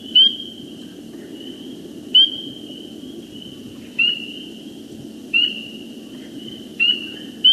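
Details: A small chorus of spring peepers in Iowa, each giving clear, high, rising peeps over a steady background trill.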